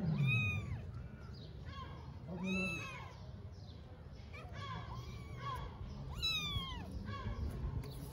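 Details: Mother cat in Istanbul cleaning and licking her kittens, with repeated rising-then-falling meows about every second, several overlapping with thinner kitten cries, and a woman speaking Turkish softly at the start.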